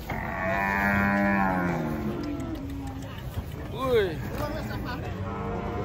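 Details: Cattle being unloaded from a truck: one long, low, harmonic-rich moo held steady for nearly two seconds, then a man talking excitedly over background engine and crowd noise.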